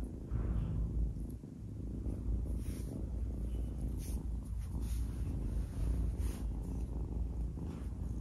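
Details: Low continuous purring from an adopted kitten as it plays and bites at fingers, with brief higher scratchy rustles and soft handling noises over the rumble.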